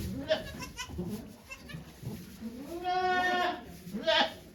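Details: During Okayu the goat's delivery of two kids at Yoshigake farm, 3 May 2023, a wavering nasal bleat lasting under a second rises from murmured human voices and handling noises, with a brief cry following.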